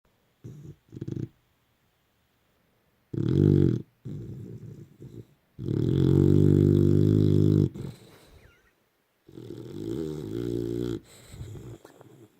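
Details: Layla, a Boxer dog, asleep at night and hogging a king-size bed: loud, low, rumbling snores in uneven bursts, one drawn out about two seconds, separated by quiet pauses, indoors in a small room.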